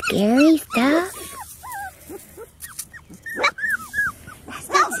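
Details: Female Porti-Doodle puppy Kasha, a Portuguese Water Dog and Standard Poodle cross, lets out strained, harmonic whimpers, first two long loud whines and then a string of short, curling squeaks about four per second.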